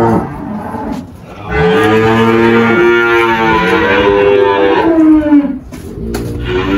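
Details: Malhada, an 18-year-old Girolando cow on a farm in Anápolis, Goiás, Brazil, recorded 1 March 2023 after calving a heifer calf, gives one long, loud, rich moo lasting about four seconds, wavering in pitch and sliding downward at the end.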